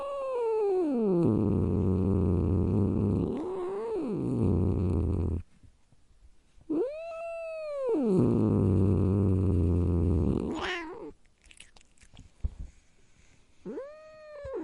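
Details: Growling cat: descending yowl into sustained deep rumble, a short pause, then an arched howl dropping back into a long growl, silence, a sharp high squeal, and a final short rising-falling yowl.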